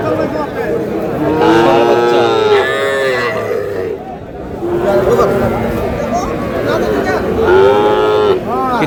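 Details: Small bull calves at a livestock market in Madaripur, Bangladesh, on 28 April, give drawn-out nasal moos that rise and fall. Two bursts stand out. A crowd talks and bargains loudly throughout.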